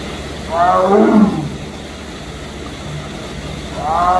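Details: Sumatran tiger at Memphis Zoo giving two harmonic, moaning roar-like calls: a longer one that rises and falls near the start, then a shorter one beginning at the end, over quiet background hiss.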